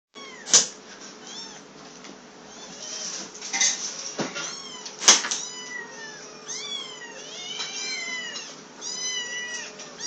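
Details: Two hungry three-week-old black kittens, a higher-voiced female and a lower-voiced male, cry indoors with overlapping shrill, arching meows that rise then fall, some brief and some drawn out, mixed with sharp clicks and knocks near the start and middle.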